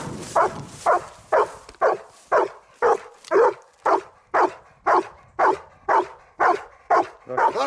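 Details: One-year-old Labrador Retriever named Ektoras during search and rescue training in open field and rubble at a dog training centre in Thessaloniki, barking steadily about twice per second, fifteen loud, even, mid-pitched barks in a row.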